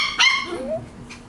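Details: Cavalier King Charles Spaniel puppy playing with squirrels gives one short, sharp, high yelp, then a faint, falling whine; quiet room noise behind.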